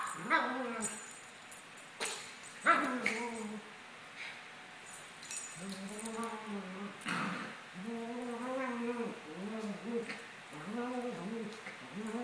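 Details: Maltese pair Sunny and Moony, 17 months, in rough play: thuds and scuffles open, then a run of bent, whining grumbles and short yips repeats at an irregular pace.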